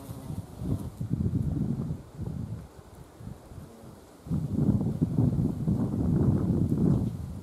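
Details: Carpenter bee visiting wisteria blossoms to gather nectar in mid-April to early May, loud low droning wing buzz that swells and fades as the bee moves between flowers, quieter lull in the middle, leaves rustling.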